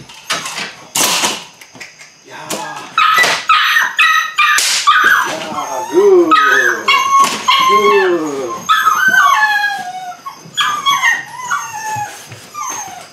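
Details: Bite work beginning for eight-week-old Belgian Malinois puppies: a long chorus of piercing whimpers and yelps, several voices overlapping in wavering, downward-bending cries, with sharp knocks and clatter early on.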